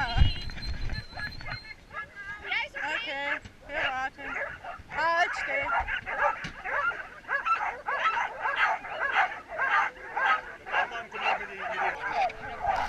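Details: Mixed team of twelve Samoyed sled dogs running from the stake-out place to the start of a 2014 race in Oberndorf; excited overlapping barks, yips and whines in rapid irregular bursts, with people talking throughout.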